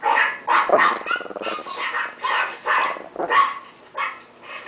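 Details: Short burst of pet chihuahua barking: about eight clipped, shrill yaps, one with a growly rasp, coming quickly and unevenly.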